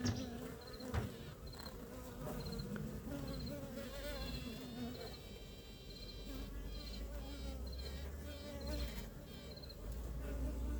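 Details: A queen honey bee, newly introduced to a colony near Ankara on 2 May with acceptance still uncertain, pipes in short, high, tooting pulses over the steady hive hum; piping serves to introduce herself and win acceptance.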